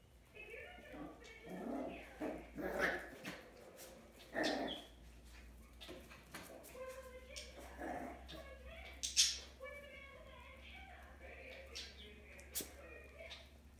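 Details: Puppies playing with a squirrel ball give short yips and whining cries in scattered bursts, with human voices talking in the background.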